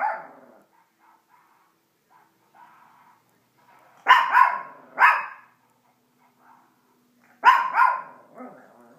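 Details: Female Chihuahua barking at animals and cartoons shown on a television indoors: sharp, harsh barks, a pair around four to five seconds and another pair near seven and a half seconds, with quiet TV sounds between.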